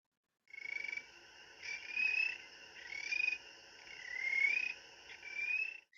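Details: Spring peeper playback of its trill-like call, more musical and higher than the western chorus frog's: a high, steady buzzing trill in five bursts of about a second each, with slightly rising whistled tones inside, over a quiet background.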